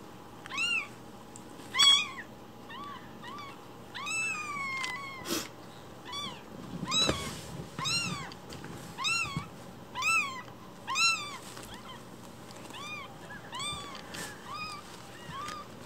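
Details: Week-old foster kittens, Cookie and Nan, cry in rapid succession: a dense run of about twenty short, high, arched mews, some overlapping, with a few soft clicks and rustles indoors.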